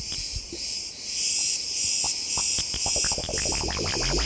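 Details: Insects in olive groves at Istron, Crete, filmed on holiday; cicadas among possible species. A steady, high, shimmering insect chorus hums beneath plucked, bell-like electronic modular-synth music.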